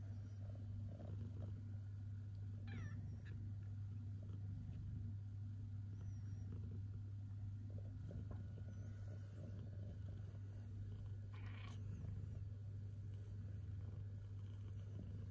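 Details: Kittens eating and purring contentedly, a continuous deep droning purr underneath, with two short faint meows breaking in, one around three seconds and another near the twelve-second point.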